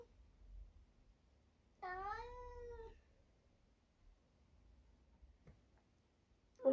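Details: Single short meow, about one second, rising then level, from a talkative 11-year-old semi-long-haired tabby male cat living in Britain, sounding like a complaint; quiet room, a few faint clicks afterwards.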